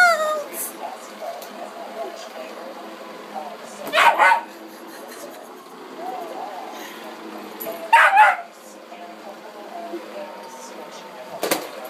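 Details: Pet dog, afraid of the vacuum cleaner, gives short sharp barks about four seconds apart while a person teasingly chants that the monster is coming; soft voice and indoor murmur fill the gaps between barks.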